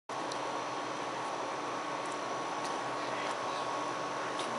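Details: Steady broadband hiss like a fan or air conditioner with a faint hum, no animal calls heard.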